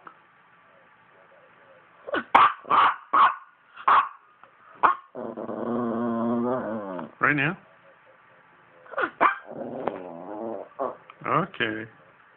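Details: Poodle vocalizing at length: a quick run of short, sharp yips opens, followed by a sustained, warbling harmonic groan of about two seconds, then more choppy yelps and yips, with human speech mixed in.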